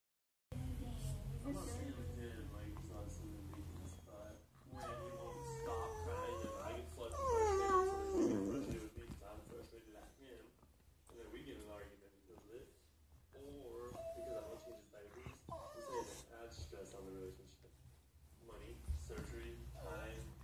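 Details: A happy dog playing with his toy makes a run of wavering, tuneful whines and grumbles over a low, steady hum.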